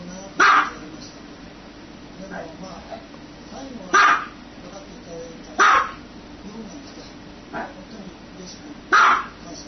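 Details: Four strong, brief dog barks separated by gaps of one to three seconds, with a fainter bark or two and soft background chatter in between.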